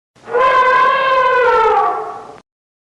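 An elephant gives a single brassy, horn-like trumpet lasting about two seconds.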